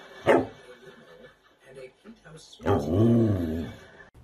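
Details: Samoyed dogs at play: a brief yelp, then a drawn-out wavering howl-like vocalisation with stacked harmonics rising and falling, over background voices.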